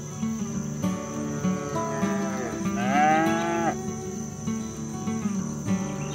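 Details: Cattle being driven home to the barn from the fields, calling to companions: one drawn-out moo that bends downward then levels off, heard above continuous background music with a steady insect-like hum.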